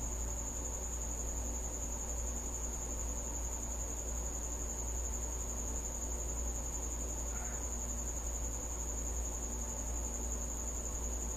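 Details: Cricket visiting a house at night, giving a steady, unbroken high-pitched trill that holds one pitch throughout, over a constant low rumble of background noise.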